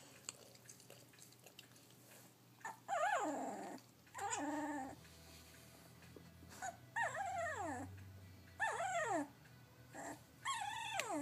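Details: Kashi, a Labrador Retriever puppy practising her barking, gives four high, howling yelps, each sliding downward with stacked harmonics, spaced a couple of seconds apart over a steady low hum.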